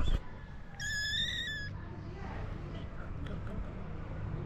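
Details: Stray cat family in Morocco, a mother sleeping on the floor with her kittens above her; one clear, high, drawn-out meow lasting about a second, followed by a low steady rumble in the background.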